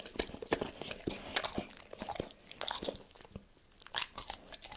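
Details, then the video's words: Pet dog Tito chewing cordon bleu in a small room: rapid crisp crunches and bites packed closely together, a brief lull just past three seconds, then bright sharp snaps again, with no voices. "Dog reviews FOOD cordon BLEU - ASMR Eating ( No Talking) EATING SOUNDS"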